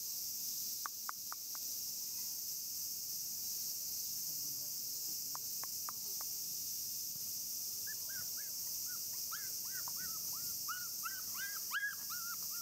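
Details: A 34-day-old male black Shiba Inu puppy: a few faint clicks and taps first, then a run of thin, high whines that bend up and down in quick succession near the end, over constant background hiss.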